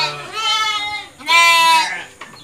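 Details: Orphaned goat kids whose mother died, being bottle-fed on a farm; two loud, nasal, wavering bleats, the second longer and higher, with brief speech and music between.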